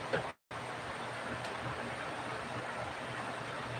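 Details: Steady broadband rushing noise like traffic or flowing water, with a brief dropout to silence near the start; no animal voice is heard.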